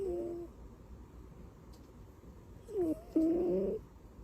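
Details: Butters, a cat asleep and tucked in like a baby, snores softly: a short tonal snore at the start, then after a quiet pause a louder, choppy, wavering snore lasting about a second.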